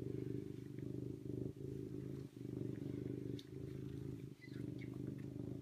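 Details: Serval purring in a steady low rumble, broken by brief pauses for breath about every second, continuing throughout.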